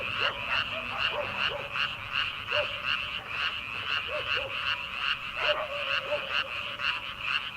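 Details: Frogs calling from rice paddies in early summer before rice planting, at late night; dense chorus of rapid pulsing croaks, many overlapping callers, with a few lower bubbling notes rising and falling, steady throughout.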